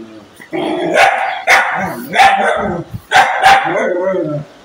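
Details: Angry dog giving a run of short, harsh, broadband barks and snarling bursts, roughly four loud outbursts within a few seconds, with a tonal, growly edge between them.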